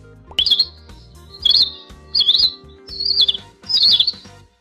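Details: A cheetah gives five high, bird-like chirps, each short and sharp, about a second apart over soft background music; cheetahs cannot roar and instead purr and chirp.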